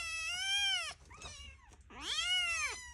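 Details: A cranky foster kitten complains after waking from a nap, giving two loud, long, harmonic meows about a second apart, each arching up and then down, with a quiet gap between them indoors.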